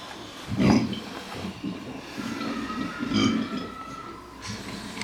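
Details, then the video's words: Vietnamese pot-bellied pigs snoring while asleep: low, rough grunting snores recurring about every two and a half seconds, with faint background hum and a thin high tone midway. "Cerdos Vietnamitas Roncando"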